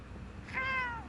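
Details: One of a group of large street cats, praised as a singing cat, gives a single clear meow that swells and then falls away, over a low background hum.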